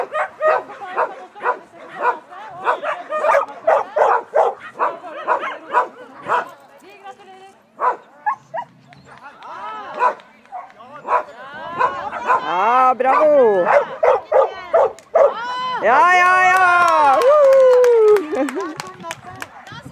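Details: Schapendoes dog at an agility competition in Fredrikstad, 20 August 2016, Agility 2 Large class; a fast volley of barks gives way to rising and falling whining, drawn-out cries near the end, with voices mixed in.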